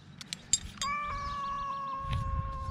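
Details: Rescued cat making one long, steady, slightly wavering meow lasting nearly two seconds, preceded by a few sharp clicks and taps, with low rumbling background noise.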